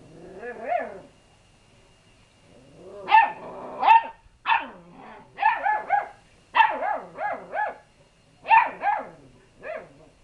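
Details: Lurcher cross puppies barking as they grow brave around a calm, unbothered cat at home; short, high, yappy barks in quick bursts of two to four, with brief pauses between volleys.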